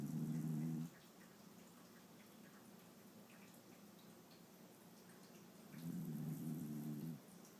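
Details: Sleeping Shiba Inu snoring at rest; two low, buzzing snores come roughly five seconds apart, each under a second long, with a faint, steady breathing rumble between them in a quiet room.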